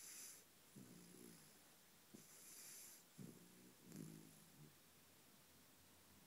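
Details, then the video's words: Puppy snoring while dreaming, soft rough snorts and wheezy breaths recurring every second or so, with a quiet background hiss. "Puppy snoring"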